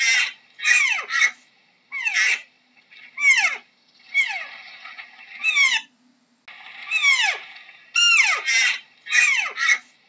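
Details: Deer giving high, squealing calls that slide sharply downward, delivered in short bursts of two or three about every second, with brief silences between and no other sounds.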